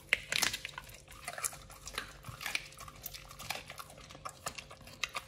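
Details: Raw-fed Pit Bull nomyen crunching fish and duck feet indoors. Sharp, bright snaps and clacks come in uneven bursts, loudest at the start, with occasional clinks like a bowl or dish.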